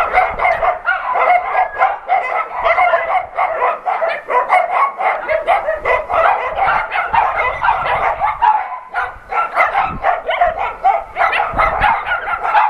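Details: Adoption-center dogs greet an NRK TV crew with loud, continuous barking, many dogs calling at once in rapid staccato bursts, with a brief lull near the middle before the din resumes.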